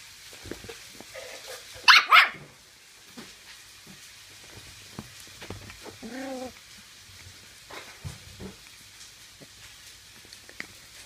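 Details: Nikita, a Toy Terrier, scuffles indoors with a person's hand, giving a quick double bark near the start, then a soft harmonic growl-whine midway amid rustling and chewing noises.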